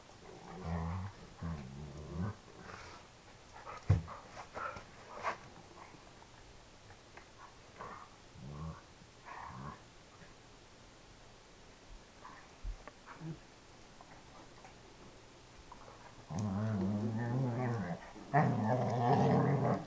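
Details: Dobermann making funny, low, almost cow-like mooing growls while playing; deep drawn-out rumbling groans at the start and again, louder and longer, near the end, with quieter scuffling and short sounds between.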